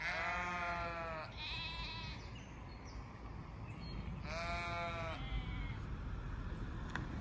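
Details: Flock of sheep bleating: a long wavering, harmonically rich bleat, a shorter one right after, then another quavering bleat about three seconds later, all over a steady low rumbling background.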